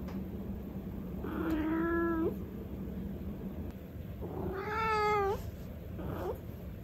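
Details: Pet Turkish Angora, described as the most vocal of several long-haired cats at home, utters two long, clear meows that rise then fall. A brief soft third meow follows, over a low background hum.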